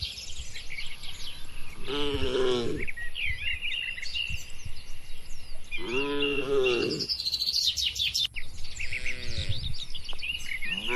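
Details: Tame cattle, part of a herd of dozens grazing with a herder in a wide, quiet oil palm plantation, giving three drawn-out, deep, harmonic moos spaced about four seconds apart over a steady chorus of chirping birds.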